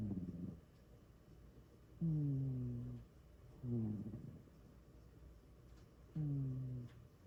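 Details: Cat fast asleep, snoring really loud: deep droning breaths lasting about a second, alternating with short rattly exhales, in a quiet indoor setting.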